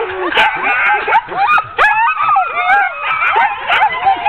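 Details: Ten-dog sled team excitedly barking and yelping while being hooked up for an October 2010 training run; overlapping yips and whines, with a human voice speaking among the dogs.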